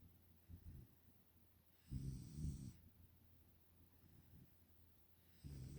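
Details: Five-month-old Pungsan dog puppy Nala, living in the United States, asleep and snoring: a soft low grumbling snore swells around the middle, then quiet breathing, and another snore begins at the end.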